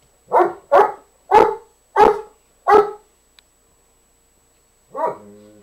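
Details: Play-soliciting barks from Nikki, a dog urging fellow dog Nubbs to play though he refuses: five quick, evenly spaced barks about half a second apart, a pause, then a drawn-out whining yelp.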